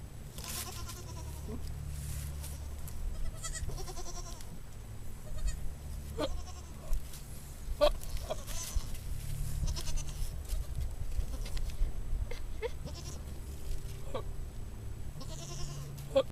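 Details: Billy goat making a funny sound: repeated short, harmonic bleating calls, some vibrating, come at irregular intervals over heavy low rumbling background noise, with occasional sharp clicks and knocks.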